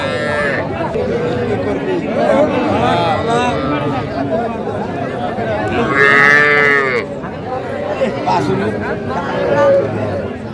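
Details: At a Gazipur market on 7 January 2025, Sahiwal heifer and bull calves low among buyers: several short, wavering moos, one higher and strained, mixed with bargaining voices and crowd noise.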